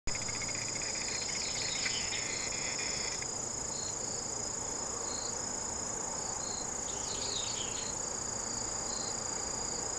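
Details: Singing Sasakiri katydid: a steady, unbroken high-pitched buzz holding one very high tone through the whole stretch, with fainter shifting chirps and trills just below it, over a dense background hiss.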